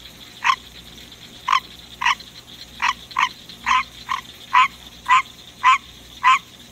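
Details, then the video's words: In the middle of the night a captive male green tree frog sings: a series of about twelve short, harsh, quacking croaks, irregularly spaced and quickening toward the end, with a steady faint hum underneath. "Green Tree Frog Song"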